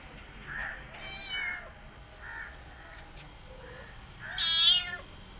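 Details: Kittens of a rescued mother cat, who cares for her own litter and an adopted kitten, give repeated short, high-pitched mews. A loud, shrill, wavering cry near the end stands out, along with a few softer, lower calls.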